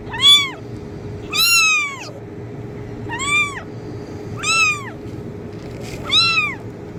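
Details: Repeated kitten meows meant to attract cats, five arched, rich-toned cries spaced about every one and a half seconds, each rising then falling, over a faint constant hum.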